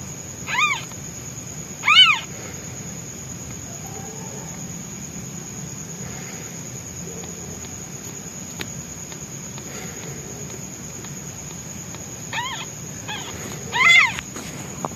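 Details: Newborn white kitten meowing loudly for its absent mother while hungry: four loud, arched harmonic meows, paired near the start and again near the end, with quieter faint mews between over a steady low background hum.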